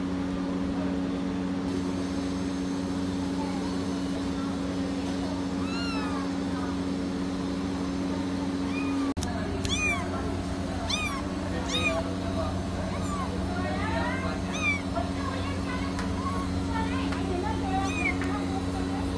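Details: Persian kittens mewing: many short, thin, high arched meows, overlapping and growing busier in the second half, over a steady low mechanical hum.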